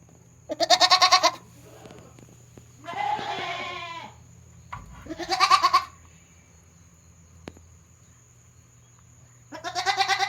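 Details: A young goat kid on a handmade goat farm, 22 June 2022, sticking its head out and making strange calls: loud, nasal, quavering bleats each under a second, four in ten seconds, one rougher and lower.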